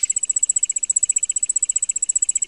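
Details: Large Ground Cricket. A large ground cricket trills in a fast, even run of bright, high-pitched pulses, about a dozen a second. It resembles a field cricket's call played far faster, with no other sounds present.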